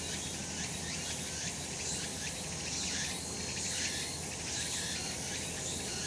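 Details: Cicadas calling in sunshine on a mountain in summer: a dense, hissing high buzz that pulses slightly about once a second, steady throughout, with low rumbling background noise beneath.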